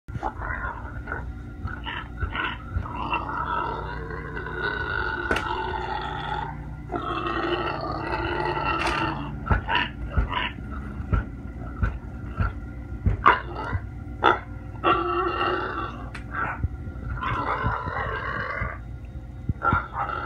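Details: Very hungry pet pig named Precious calls from behind a door while kittens listen on the other side; harsh, nasal squealing grunts come in rough bursts of one to two seconds, repeated with short gaps, and scattered knocks and thumps are heard indoors.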